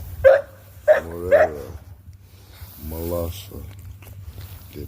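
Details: Presa Canario barks: three quick gruff woofs in the first second and a half, then a drawn-out tonal, voice-like sound, over a constant low rumble.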